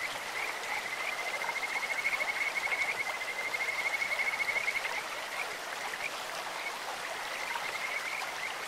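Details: Kajika frog calls ring out beside a flowing stream, a sweet high trill that swells for several seconds and fades, then returns faintly near the end, all over steady rushing water.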